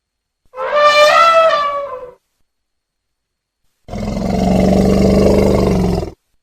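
A young elephant gives a brassy, tonal trumpet, then a longer, rougher, lower roaring call.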